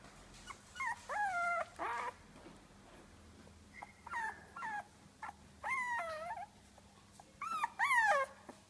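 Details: Two female Dogo Argentino puppies, 22 days old, whimpering: repeated high whining cries, each rising then falling, in short bursts about a second apart, some with a yelping break.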